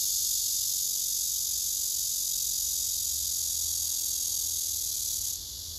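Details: Male cicadas singing on a tree, filmed by phone while several cicadas gather and a male pushes rivals away: a dense, unbroken high buzzing shimmer that holds steady, then cuts out sharply near the end.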